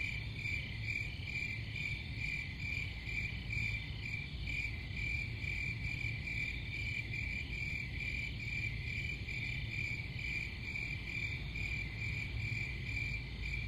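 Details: Continuous cricket chorus with rapid, regular pulsed chirps sustained throughout, a high ringing tone steady over a low rumbling background hum.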